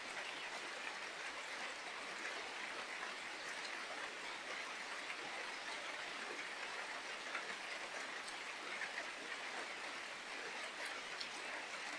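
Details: Steady rain hisses and patters throughout, with no animal voices. The sound is an even wash of drops on leaves and ground, with no calls rising above it.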